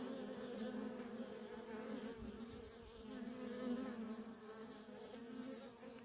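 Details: Continuous buzzing of worker honey bees in heavy traffic at a feral colony; the low drone wavers slightly, with a brief thump near the middle and a fine high rattling tick toward the end.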